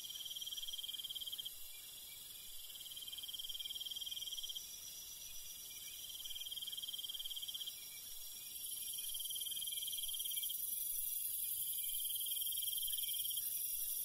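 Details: Crickets calling at night in the countryside: short pulsed trills about every second, over a steady shrill high-pitched chorus. A piercing, even higher buzz joins partway through. No other sounds are clear.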